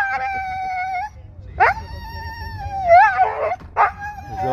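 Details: Siberian Husky reacting on seeing a deer: a long, steady, tonal howl, then a sharp rising yelp into another sustained howl that wavers and breaks into yodelling warbles, with a person speaking Spanish.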